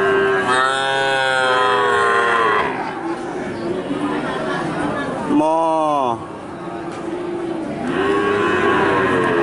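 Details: Cattle at a livestock market, lowing loudly: a long harmonic moo over the first three seconds, a shorter falling moo near six seconds, and a softer drawn-out moo at the end, over steady crowd murmur and distant voices.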